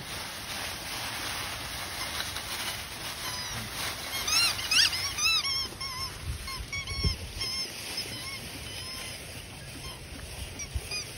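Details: Cairn Terrier puppies giving a burst of short, high, curved yelps and whimpers, rapid and uneven, densest midway then thinning to scattered thin cries against a steady background hiss.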